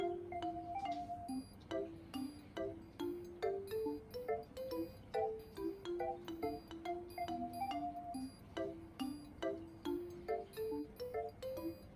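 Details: Quiet, bouncy marimba and glockenspiel melody with regular plinking notes over a low hum; no animal voices.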